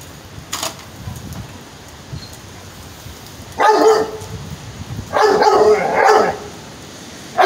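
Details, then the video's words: Pit bull barking while trying to get at a cat: a few loud harsh barks, one near four seconds and a pair just after five seconds, with quiet background between and a faint click early on. "Pitbull Trying To Kill A Cat"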